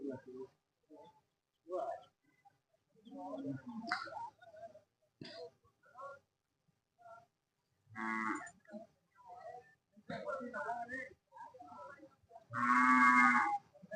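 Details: At the Sunday cattle market in Jodugatte, Hallikar cattle give a brief harmonic moo and, near the end, a loud sustained bellow, after scattered voices and clatter from the crowd.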